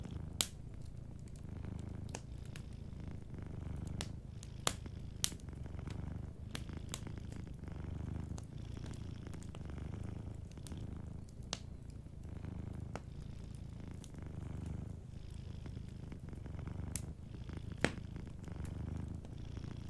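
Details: Drowsy cat sleeping by a warm fire keeps up a soft, even purr, a low rumble pulsing with each inhale and exhale about every two seconds, while the fireplace crackles and pops intermittently.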